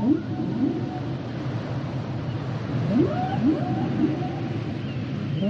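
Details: Song of humpback whales made of short upward-sliding whoops repeated roughly every half second to second, some bending into brief level tones, against a dense low underwater hiss.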